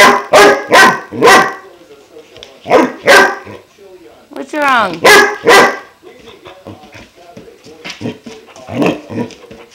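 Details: Klaus, a 5-month-old German Shepherd, reacts to a water buffalo horn with triplets of loud barks, a rising, wavering whine in the middle, then softer, scattered yips.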